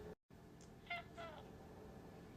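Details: Domestic cat meowing indoors, wanting to go back outside: two short, faint, tonal meows close together near the middle, over low room hum.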